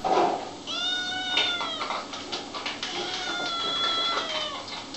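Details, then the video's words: Several kittens meow at once, with overlapping thin, wavering mews and scratchy rustles throughout. "Little kittens meowing and talking"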